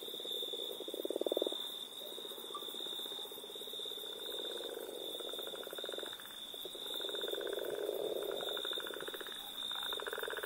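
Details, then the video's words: Small frog calling: bursts of rapid pulsed trills, some lower and some higher, alternating in bouts of one to two seconds, over a constant high whining tone in the background. "Mini frog"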